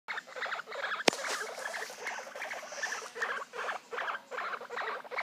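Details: Baby guinea pigs calling: short squeaky pulses repeated in quick bursts, a few each second, with one sharp click near the start against a quiet background.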